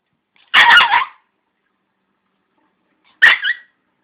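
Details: Dog named Rouge barking at a grid: two short, harsh, broadband barks, the first near half a second in, the second about three seconds later, with silence between them.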